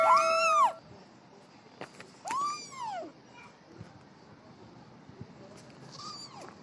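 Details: Small kitten playing, one loud arched meow at the start then softer meows amid a hissing background, separated by gaps of a second or more.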